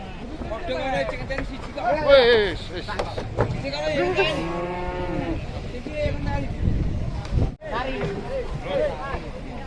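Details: Raging cow being unloaded from a truck, giving a low, drawn-out moo with curving harmonics in the middle of the clip, surrounded by excited human shouting and crowd chatter.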